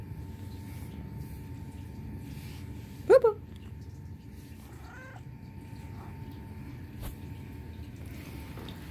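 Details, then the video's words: Pet Turkish Van cat indoors giving a short, sharp mew followed two seconds later by a fainter second mew, with a low steady hum in the room. "Turkish Van Cat Bobby Mews Cutely"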